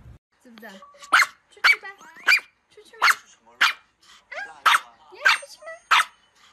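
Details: Angry dogs barking: sharp, loud barks repeated about every half second, with whiny yelping notes and short growly sounds between them.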